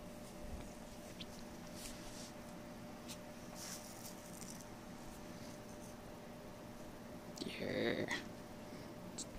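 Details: Pet cat named Peepers, worked up while wrestling with a fox tail indoors, gives one short arched meow near the end, rising then falling, over a quiet room hiss with faint rustling earlier.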